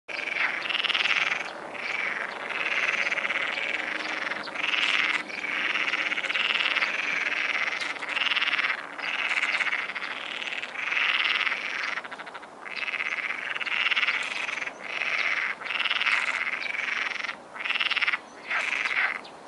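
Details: Frogs croak at dusk at the Martorell wildlife observatory: a dense chorus of rapid rasping calls repeated in bursts every second or so, overlapping into a near-continuous din with brief gaps.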